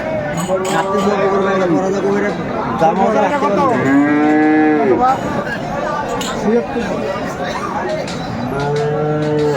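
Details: Bull calves of Friesian and cross breeds at the Aftabganj haat in Dinajpur, Bangladesh, on 24 April 2024. A rising-and-falling moo stands out mid-clip among shorter calls from other cattle, over crowd murmur and market noise.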